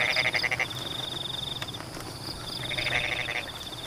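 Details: Frogs calling among rain-wet rice paddies: a short quick rattle of croaks at the start and another near the end, separated by rain hiss and a steady high-pitched insect trill.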